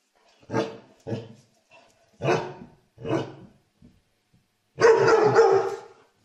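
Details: Pet dog barking: four short, rough barks spaced about a second apart, then one longer, harsher drawn-out bark, with silence between.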